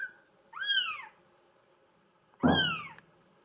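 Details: Solid mink-coloured Bengal cat, a female kitten, giving two high arched meows about two seconds apart, each rising then falling with bright harmonics, in a quiet room with a faint low hum.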